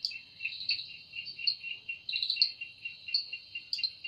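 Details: Cicada in the evening forest, wings producing the sound: a high continuous buzz with rhythmic pulsing beats about once a second and a few sharper chirp-like spikes.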